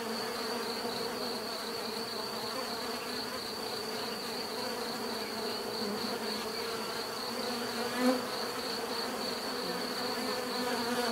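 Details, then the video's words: Many bees produce an unbroken, rich buzzing drone beneath a steady high whine, with a brief louder click about eight seconds in and a slight rise in volume toward the end. "bees therapy relaxing natural buzzing sound"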